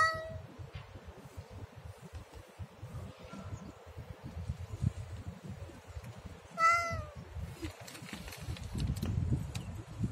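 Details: Siamese cat with a brief meow at the outset and a short, quickly falling meow a few seconds later, set against constant low rumbling and scattered clicks.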